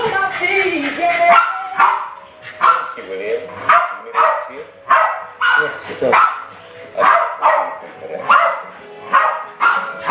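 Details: Balloon play by two West Highland White Terriers, Alfie and Crystal, in a kitchen in 2012. Brief music-like tones open, then loud, clipped barks repeat about every second.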